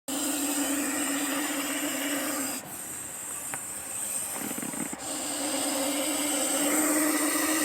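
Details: Russell's viper giving a loud, steady broadband hiss, broken by two short breaks where the snake draws breath, then resuming just as strongly.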